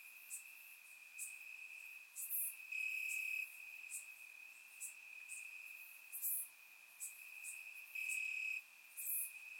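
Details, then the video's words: Crickets chirping at night amid summer grass in Bulgaria, a thin continuous high trill broken by several louder buzzing bursts and scattered sharp high chirps from more distant insects. "Cricket Sounds - Crickets Chirping at Night"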